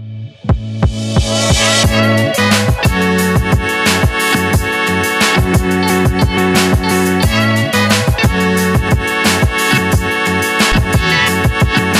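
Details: Loud electronic music with a heavy, steady beat and layered synth tones throughout; no animal voice is heard.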